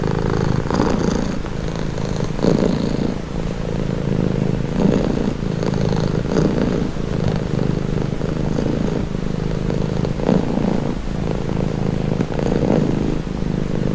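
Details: Pet cat purring in a deep, even rumble over fourteen seconds, its pulsing drone cycling with each breath at irregular intervals of one to two seconds; background is otherwise quiet.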